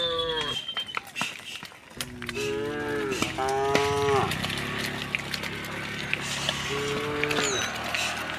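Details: Herd of tame cows walking to wide green fields in the morning; several overlapping moos of varying pitch, some short and bending, over a busy, noisy background with clicks and rustling.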